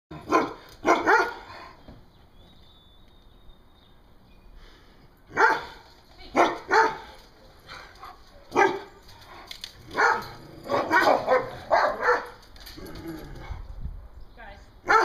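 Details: Two poodles acting like attack dogs, barking in sharp repeated bursts, sometimes single barks and sometimes quick runs of three or four, with brief quiet gaps between volleys and a faint whistle-like tone early on.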